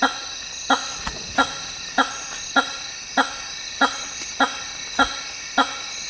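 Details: Hammer-headed fruit bat (Hypsignathus monstrosus) in the African rainforest giving a series of loud, resonant honks, about ten in six seconds at a steady beat of roughly one every 0.6 seconds, over a constant high insect drone.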